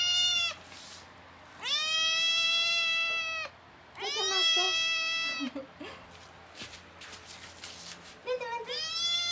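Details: Small rescued male house cat regaining health after gastroenteritis and diarrhoea; two long, loud, sustained meows followed by softer broken calls, quiet human voices, and a final short meow.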